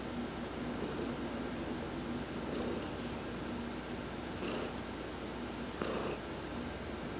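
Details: Heidi the adopted cat, massaged during a sun bath on November 19, 2020, gives a quiet, steady low purr, overlaid by brief bright rustling bursts roughly every one and a half seconds.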